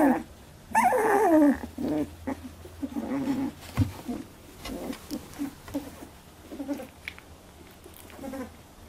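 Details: Eighteen-day-old Labradoodle puppies scuffle over milk. One loud sliding squeal opens, then a busy stretch of overlapping whimpers, squeaks and small growly grunts, several pups vocalising at once.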